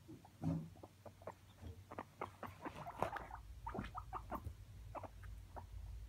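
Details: Pet guinea pigs escaping and slipping under a bed, recorded with a phone set on the floor; short clicky chuts repeat in quick bursts over a low steady hum, with faint pattering movement.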